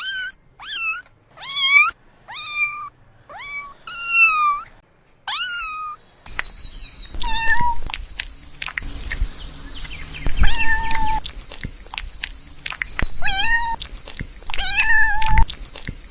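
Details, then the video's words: Young newborn kittens mewing: six sharp, rapid high mews in quick succession, then a noisier stretch with handling sounds and a few more fainter mews. "New born baby kittens meowing"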